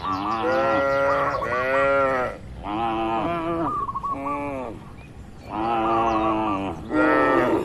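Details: Dozens of cows resting and moving inside a large farm barn give repeated, overlapping harmonic moos, each about one to one and a half seconds long, with short bird chirps between them.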